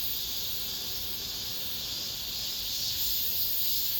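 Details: Cicadas singing in an apartment complex as summer ends. A short stretch of steady high, hissing buzz rises slightly in loudness toward the end.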